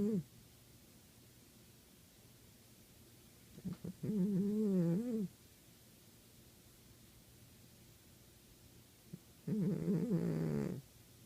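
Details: Savannah cat snoring, a short puff then two drawn-out wavering nasal snores, buzzy and slightly rising, with quiet pauses between.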